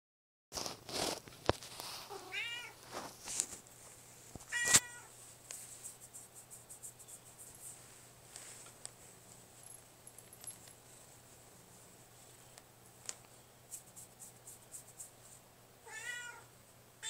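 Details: Boris, a Russian Blue cat kept as a pet, recorded on a phone indoors, gives several short wavering meows early on and another near the end, separated by quiet stretches with faint clicks and a steady hum.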